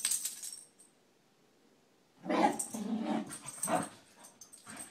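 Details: Two Scottish Terriers wrestling in play: after a quiet first two seconds, rough throaty growls come in clustered bursts, with a final shorter growl near the end and scuffling, snuffling noises between them.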